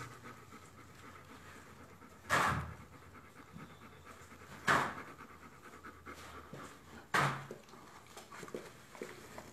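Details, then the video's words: Dobermann giving birth to its D litter, with three loud, broad breathy bursts spaced about two and a half seconds apart over a low, steady background hiss. "Dobermann D batını doğum anı"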